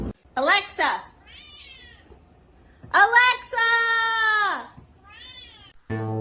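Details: A domestic cat 'talking' in a funny home clip gives two long, drawn-out, harmonic meows, the second lasting about a second and a half and bending downward at its end. Softer short mews fall between them, and a brief burst of music closes.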